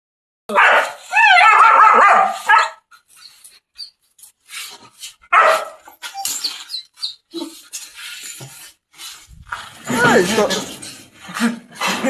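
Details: German Shepherd dogs in chains for the first time, reacting vigorously: a loud harsh bark burst at the start, then scattered short barks and whimpers, with a person calling out and laughing.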